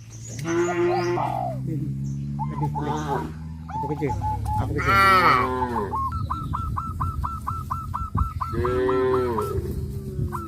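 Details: Cows in a herd walking toward a grazing field under the hot sun give deep, rough moos over a steady low rumble, alongside a bird's evenly spaced string of sharp chirps.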